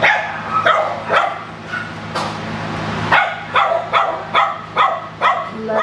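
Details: Japanese Chin dog barking; sharp, high yapping barks repeated roughly every half second, somewhat irregular, with a steady low hum in the background.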